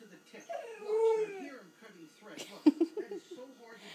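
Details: A 14-week-old Tamaskan puppy 'talks' with a bending, tonal whine lasting about a second, followed by short clipped yelps and mutters, while a person asks if it is talking.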